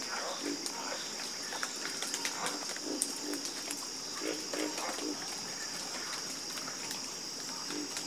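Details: Frogs croaking in chorus, many brief clicking and croaking pulses overlapping at irregular intervals beneath an unbroken high-pitched insect buzz.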